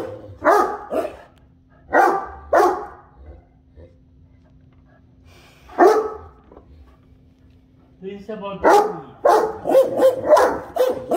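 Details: Great Dane. Deep, rough woofs and drawn-out groaning sounds come from Great Danes in short bursts, growing busier and more overlapping toward the end. Human voices chat in the background between the dog sounds.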